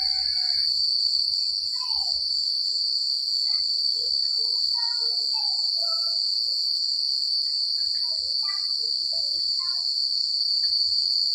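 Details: Crickets chirping at night in the secluded countryside: a dense, steady, high-pitched trill that runs unbroken throughout, with scattered short chirping notes from other callers sounding at lower pitch.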